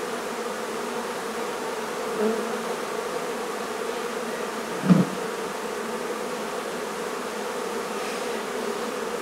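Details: Honey bee colony droning during removal of a hive from a barn in La Feria, Texas; constant buzzing hum, with a short knock near the middle and a faint thump earlier.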